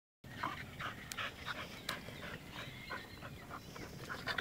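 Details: Bulldog-type dog panting in quick, breathy puffs, a rapid uneven series of short hissing breaths with a few faint squeaky whimpers.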